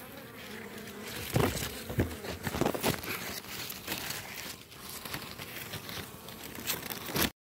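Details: Honey bee colony at hives in Baltimore on a morning, seizing and killing a European hornet queen that scouted too close; dense crackling buzz with sharp broadband bursts and rustling throughout.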